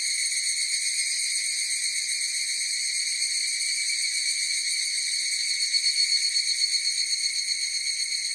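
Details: Massed higurashi cicada song: an even, piercing tonal buzz with overtones, gently pulsing about four beats a second, the throbbing growing clearer and louder near the end; no other sounds.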